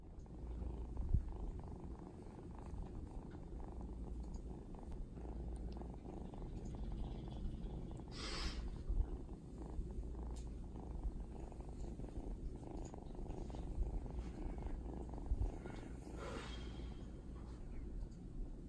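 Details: Young male Domestic Shorthair cat, a former street orphan from Washington DC now in foster care, purring when touched; continuous low rumbling purr, steady throughout, with two brief soft rustles.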